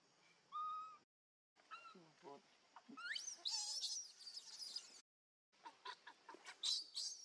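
A baby monkey gives high, squealing cries that rise and fall, calling for its mother.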